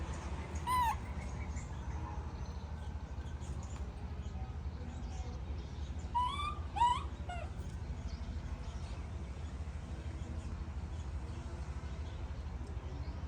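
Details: Baby monkey throwing a tantrum as its mother leaves: a sharp, wavering harmonic cry near the start, then a cluster of rising and falling squeals around six to seven seconds, over constant low rumbling background noise.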